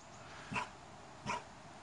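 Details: A Cane Corso gives two short, deep barks about three-quarters of a second apart during bark-on-command training. Food is held out of his reach while the trainer stands a few metres away, and he grows impatient before barking at the "laut" command and earning a treat.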